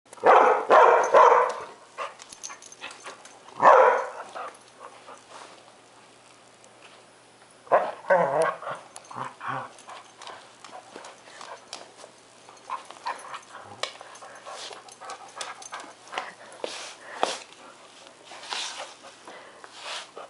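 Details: Lexie, an Airedale Terrier, barks and whines in a temper tantrum, wanting Bailey's rawhide after eating her own and trying to enlist her owner's help; short harsh bursts early on, then scattered fainter whimpers with a person saying "not yours".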